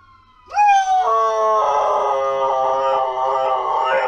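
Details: Pet dog howling after a quiet start, a long sustained tone beginning high and dropping, then holding steady with wavering overtones, resembling a siren.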